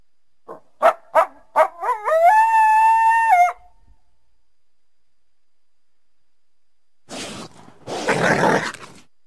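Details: Winter backyard coyote calling through trees: a quick run of short yips that climbs into a sustained, level howl lasting over a second, then silence, followed by rougher, noisy bursts.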